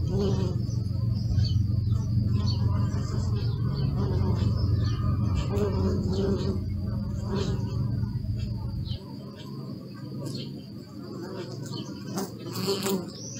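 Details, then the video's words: Bees humming in a steady, low droning chorus recorded with a Sony Alpha 6000 camera, the dense hum loud for about nine seconds and then softening, with faint high bird chirps in the background. "Bee sound"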